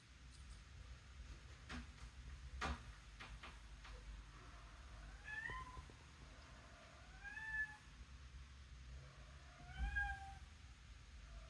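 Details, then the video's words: Pet cat indoors, at her toy: several harmonic meows near 5.5, 7.5 and 10 seconds, the last arching down, between clicks and knocks over a low steady rumble. "talking cat"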